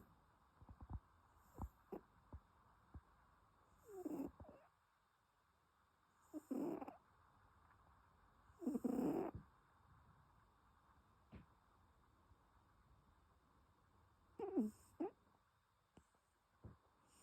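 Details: Sleeping domestic cat snoring: soft, breathy snores at irregular intervals of a few seconds, each a short rasping swell, with faint clicks and a quiet background hum between breaths.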